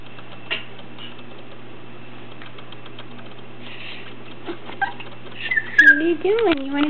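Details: A small male Bichon Frise puppy gives short, high, wavering whines, asking to be picked up onto the bed to join his owner.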